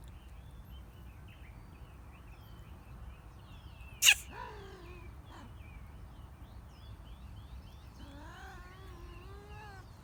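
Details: Little kitten Lou sneezing, June 2019: one sharp, explosive sneeze bursts out around the fourth second, followed by a soft tail. A short, wavering kitten cry comes near the end, with faint bird calls in the quiet background.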